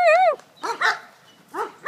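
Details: Female German Shepherd at football play after catching a pass: a high, wavering whine opens, followed by short harsh barks, with a man's praising voice nearby.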